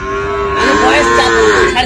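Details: Young Sahiwal bull calf at a Mymensingh cattle market, 7 February, giving one steady, sustained moo of nearly two seconds with rich harmonics that bends slightly downward at the end, with a faint murmur of people behind.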